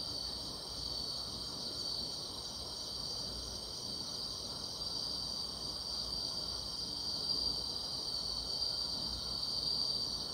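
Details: On a summer night, grass insects keep up a steady shrill trilling at high pitch, unvarying in rhythm, flickering a little brighter toward the close, above soft background noise.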